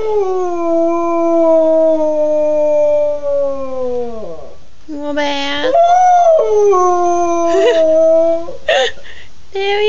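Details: A beagle being asked if it wants to go to bed gives a long, drawn-out howl that slides downward, then breaks into wavering, rising howls.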